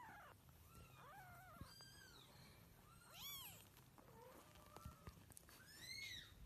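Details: Cat giving a series of short, high, arching mews, some rising then falling, roughly one every second, with harmonics stacked above; a steady low hum runs underneath throughout.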